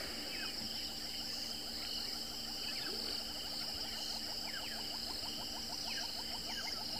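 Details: Many crickets still calling in the early morning at sunrise in Kruger National Park on 10 March 2024: steady, high, shrill ringing trills throughout, with quick descending bird notes and a rapid series of short chirps from other birds.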